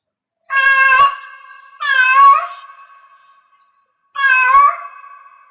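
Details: A cat in heat calls three times: bright, wavering meows with strong overtones, two close together and a third after a gap of about two seconds, trailing off into a faint steady ring.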